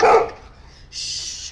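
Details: Pit Bulls Dexter and Rascal, a puppy, play tug of war with Cookie, a Golden Retriever: a single loud, harsh bark opens the moment, followed by quieter rustling and a brief hiss of noise.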